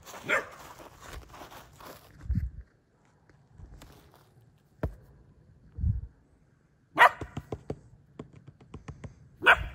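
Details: Frightened female German Shepherd puppy confronting a fake deer; a few scattered barks separated by long quiet gaps, with soft thumps and low rumbling in between.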